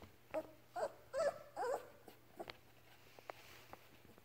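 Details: Labrador Retriever puppy learning to walk and starting to play with its mother. A burst of short, high, wavering whimpers and squeaks fills the first two seconds, then a few faint squeaks and soft clicks follow.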